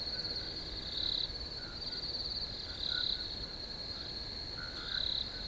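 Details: Crickets in a nature relaxation recording: a steady high-pitched insect trill runs throughout, with louder pulsed bursts roughly every two seconds and faint lower chirps beneath.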